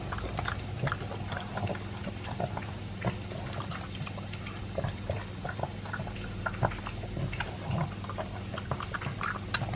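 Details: Two-year-old Pug Elvis chomps dry food and a chunk of beef meat. Continuous crackly munching and small wet clicks fill the clip, set against a steady low indoor hum.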